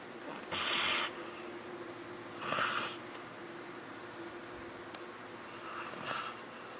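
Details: Labrador Retriever snoring deeply after a busy day and slow to wake: breathy, hissing snores roughly every two to three seconds, three in all, in a quiet indoor room.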